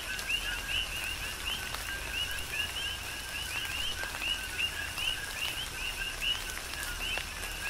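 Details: Coqui frogs in a tropical rain shower on Hawaii's Big Island give rhythmic two-part calls, a lower note and then a rising chirp, from numerous overlapping callers, accompanied by patters of raindrops and steady rain noise.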